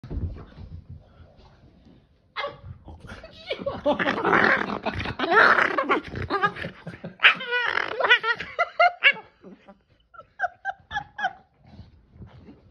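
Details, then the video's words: Boston Terrier making wild vocal sounds while playing with a Keeshond: a quiet start, then a long run of harsh, warbling growl-grumbles, followed by a series of short, sharp yips and squeaks with pauses between them. "Boston Terrier Makes Crazy Sounds While Playing With Keeshond Brother!"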